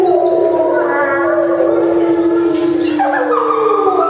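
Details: At Tama Zoo in September 2015, several timber wolves howl together after a meal in long, drawn-out tones that glide and overlap.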